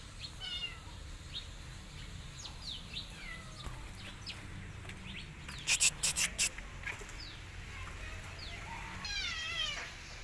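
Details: Kitten running away and hiding in a jacket gives thin, high mews that slide downward, scattered through the recording, with a brief burst of sharp tapping clicks midway and low rustling throughout.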